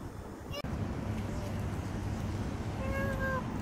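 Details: Street cat filmed in November 2023 giving one short, faint, slightly falling meow near the end, over steady low traffic-like rumble and earlier human chatter.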